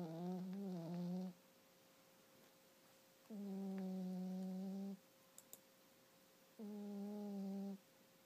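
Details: Sleeping female cat indoors, snoring loudly in deep sleep, not waking even when a blanket is lifted from her face: three long droning tonal breaths about three seconds apart, each lasting one to one and a half seconds, with quiet gaps between.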